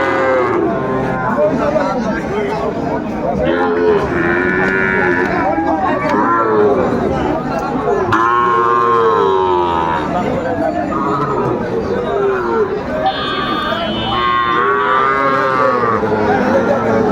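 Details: Cattle market in Mymensingh, Bangladesh, 9 May 2024, where Sahiwal bulls are sold: repeated long lowing calls, some bending upward then sliding down, overlap one another amid constant crowd chatter and haggling men.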